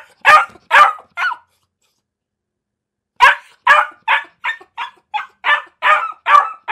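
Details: Dog barking: three quick barks, roughly two seconds of silence, then a rhythmic series of about ten short, bright barks delivered at a fairly regular pace.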